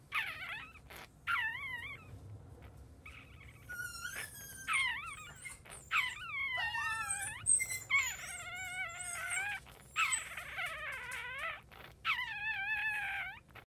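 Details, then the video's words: Chihuahua puppy newly born, whining repeatedly in thin, wavering, high cries that rise and fall, some drawn out and quavering, others short, close together through the stretch with a quiet indoor background. "Chihuahua Newborn Puppy After Birth"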